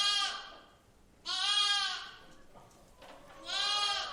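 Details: A lamb in a barn gives three bright, reedy, nasal quavering bleats of about half a second each, rich in overtones, at uneven intervals separated by quiet gaps with only faint room noise.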